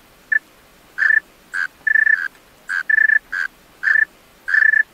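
A male tree cricket sings in clear, pure-toned chirps, repeated in short pulsing bursts.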